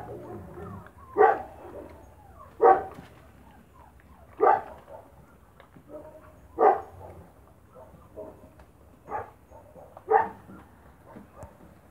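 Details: Spanish Mastiff puppies from the Vegas Altas del Guadiana, Spain, while eating kibble: single sharp barks spaced about every one to two seconds, with faint whimpers and low rustling between.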